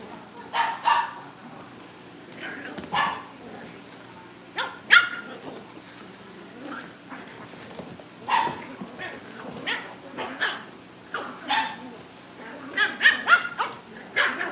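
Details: Cavalier King Charles Spaniel puppies at a breeder's family home, being readied for family pick-ups: short, high yips and barks burst out repeatedly throughout, irregularly spaced, with faint voices in the background.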